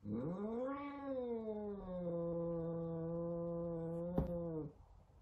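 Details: An angry F2 Savannah cat kept indoors as a pet gives one long drawn-out yowl of about four and a half seconds, rising quickly, then holding a steady, low, moaning tone before stopping abruptly.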